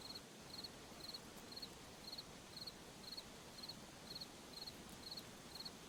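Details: A cricket in a forest at night chirps steadily, with short, high trilled pulses repeating about twice a second over a soft hiss.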